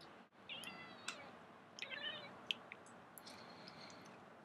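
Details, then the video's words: Calico cat chirping while watching birds: short trilled chirps with bright overtones come in brief bursts, separated by pauses and faint clicks, in a quiet indoor setting. "talking to the birds"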